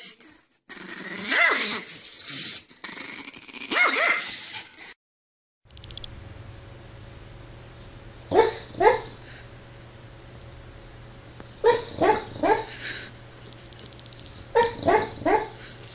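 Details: Dog barking in short clusters of two to four sharp barks, each group a few seconds apart, over a steady low hum; a louder, noisy stretch and a brief silence come first.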